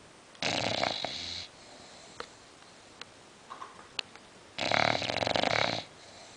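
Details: A sleeping female English Bulldog gives two long, harsh, rattling snores, each over a second long. Quiet pauses between them hold soft sniffs and small clicks in a still indoor room. Attempts to wake her fail.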